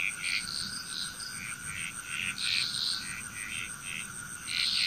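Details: Frog chorus in Bali, Indonesia: overlapping short, bright croaks in irregular bursts, some louder clusters near the end, over a steady high whine and a constant mid-pitched hum.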